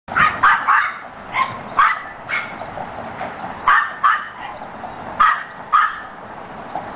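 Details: Domestic dog barking up a storm while six puppies chase their mother in circles; sharp, loud barks come in quick irregular bursts, about ten in seven seconds, over a quiet indoor background.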